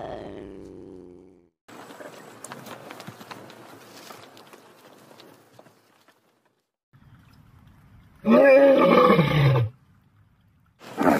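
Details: Single cow moo, deep and tonal, held for more than a second before dropping in pitch; earlier there are quieter scraping, rustling sounds and a brief low call, and another loud call begins right at the end.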